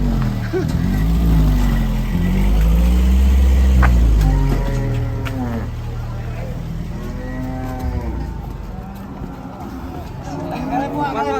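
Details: Raging cattle bellowing in drawn-out, arching moos with rich overtones, several calls in sequence, under a loud deep engine drone and occasional speech.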